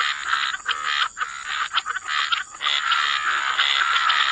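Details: Frogs croaking together by the waterside in a wetland, a dense chorus of rapid rasping pulses overlapping with no pause, under a steady high insect-like hiss.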